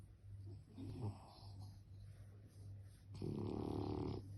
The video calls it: french bulldog Snoring